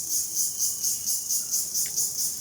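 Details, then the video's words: Outdoor cricket chorus under trees with sunlight through the branches: a shrill high trill that swells and fades in quick regular pulses, about four per second, with one brief faint chirp in the background. "ঝিঁঝিঁ পোকার ডাক"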